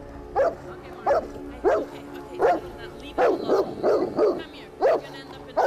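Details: Angry Bernese Mountain Dog in a barking rampage at a snapping turtle, giving about nine sharp barks, some doubled in quick pairs, at irregular intervals roughly every half second to a second over steady low background noise.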